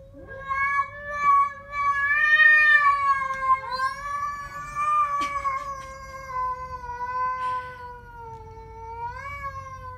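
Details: Siamese cat facing off with a stray: one continuous, loud, wavering yowl lasting almost ten seconds, rising and falling slightly in pitch, with a sharp lift at the very end.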